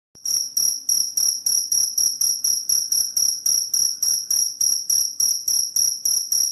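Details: Cricket chirping, played to repel rats: bright, high-pitched metallic pulses repeated steadily, about three and a half per second, each pulse with a ringing doubled tone and a quick fade, with no other sounds.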